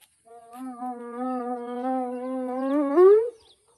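A spotted hyena gives a long, steady, hollow tone that sweeps sharply upward at the end.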